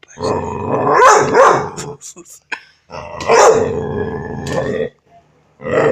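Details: Young male puppy, five months old, barking: two long, rough, hoarse bark-howls, each lasting over a second, separated by short gaps with faint small sounds.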